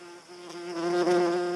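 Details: Paper wasp in flight, an insect resembling a small hornet in look and behaviour, giving a steady low droning buzz with rich stacked harmonics that swells louder toward the end of the short burst.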